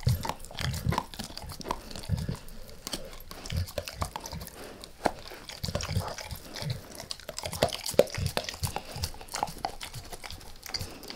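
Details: Steady gnawing and crunching as Max the dog works through a beef rib indoors, rapid irregular bites with low thuds and bright wet clicks throughout, no talking.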